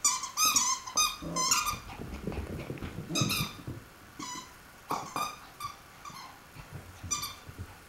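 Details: Shelby, a female Shweenie dog, playing and entertaining herself indoors; high squeaky yelps and whines in short bursts, roughly one a second, some doubled, with faint rustling and thumps between.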